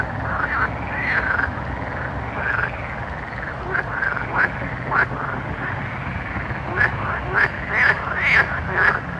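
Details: Night frogs for relaxation and sleep; soft arched croaks early give way to sharp, clicky croaking notes repeated roughly twice a second near the end, over a steady low background noise.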